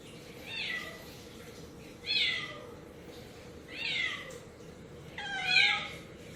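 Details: On bath day, 2 September 2018, a worried pet cat from a four-cat household calls out: four clear, drawn-out meows that slide downward, about one every one and a half seconds, in a small room.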